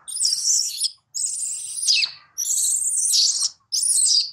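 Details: Baby monkey Daniela, taken from her mother Dana by another monkey, cries loudly for her mother: four long, piercing, high screams, each held steady and then dropping at the end, separated by brief silences.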